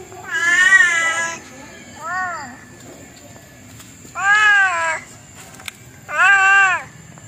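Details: Domestic cat giving four drawn-out meows, the first long and bright, the second short and softer, then two more strong ones, with a thin steady high whine running underneath.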